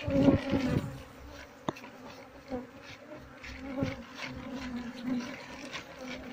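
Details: Wild Asian honey bee colony (Apis cerana) being moved into a hive box while the queen is searched for: a steady low droning hum with a strong even tone and its overtone, plus scattered knocks and handling thumps.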